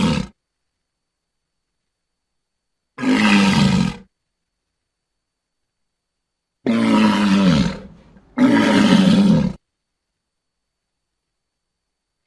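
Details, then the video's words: Walrus giving three loud, hoarse roaring bellows, each about one second long, separated by stretches of silence, with the last two following close together. "Walrus Sounds"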